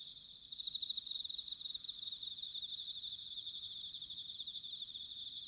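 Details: Bell crickets in Sanuki, Chiba Prefecture, Japan, during autumn: a bright pulsed ringing phrase early on, fading into a steady high-pitched trilling chorus with soft low background noise.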